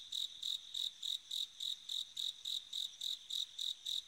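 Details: Bell cricket calling on an autumn night: a steady series of bright, ringing, high-pitched pulses, about fifteen in four seconds, evenly spaced roughly three or four each second, with a quiet background.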